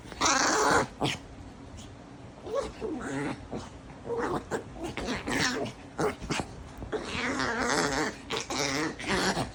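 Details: A Chihuahua gives quick, irregular grumbling growls and whines in rapid bursts while playing.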